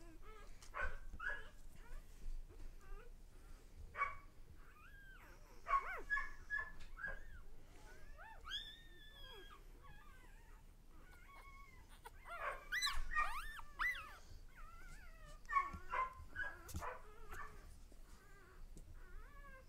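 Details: Newborn dog pups, one day old, squeal and whimper in uneven bursts, bright tonal cries rising and bending, busiest around the middle and end, with rustling between calls.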